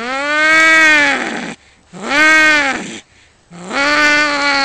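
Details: Male cats in a territorial fight just outside a house, trading loud, moaning yowls of about one and a half seconds each, arched in pitch and strongly harmonic, separated by short silent gaps.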